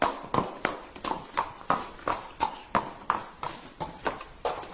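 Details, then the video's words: Hoofbeats of a galloping horse repeat evenly around three times a second, loud percussive strikes with ringing mid tones and faint scuffing between them, with no whinny. "Som de Cavalos Relinchando e Galopando"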